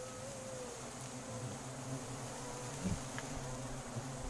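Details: Wild giant honey bees (Apis dorsata) in Sumatran forest, disturbed while their honeycomb is harvested: a steady, low droning hum with layered buzzing tones, under a constant high hiss of forest insects.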